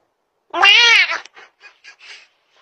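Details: Cat meowing toward the camera: one loud, drawn-out meow lasting over half a second, rising then falling, followed by several soft short chirps and murmurs fading away, indoors with no other sounds.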